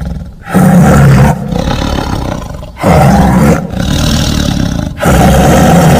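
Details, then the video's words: A tiger gives a series of loud, deep roars, each about a second long, that swell and fade with a rough, gravelly tone. Brief pauses separate the roars. "Suara Harimau"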